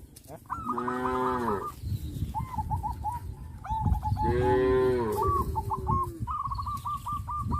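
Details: Tame village cattle in a herd in rural Indonesia calling their companions: two long, loud, layered moos about three seconds apart, while a small bird keeps up fast, repeated chirping series in the background over steady low rumble.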